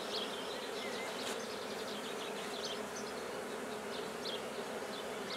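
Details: Black bees buzzing at a newly started hive in Guernay, Côtes-du-Nord: a steady, low droning hum throughout, with scattered high bird chirps and twitters above it.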